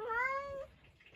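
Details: Domestic cat talking back to its owner indoors, answering questions about the rain with a single clear meow lasting over half a second, steady and slightly rising in pitch before cutting off.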